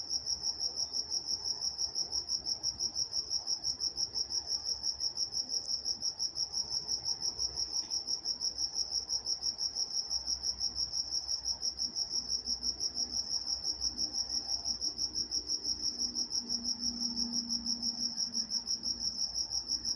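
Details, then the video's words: In Walnut, California at night, crickets produce a constant shrill pulsed chirp, close to three beats per second, very regular throughout, with a brief faint low tone late on. "Nature Sounds Night Time Crickets in Walnut, California"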